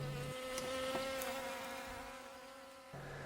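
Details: Asian hornet (Vespa velutina) at an apiary, where it is controlled with electric harps: a continuous, even-pitched buzzing drone that fades slightly midway, framed by a low steady electrical-sounding hum at the start and end.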